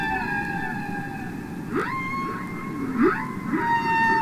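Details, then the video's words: Humpback whale song recorded underwater: high whistled tones held and bent, with short upward-sweeping squeaks repeated about every second over a low rumbling background. "Listen to Songs Of The Humpback Whale"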